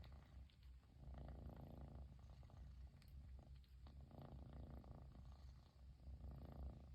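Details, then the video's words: Low steady purr of a Persian kitten in Japan, delighted its owner is finally home; the rumble swells slightly in loudness in places, with faint rustling. "飼い主がやっと帰ってきてぐる音が止まらない子猫🐱purling kitty"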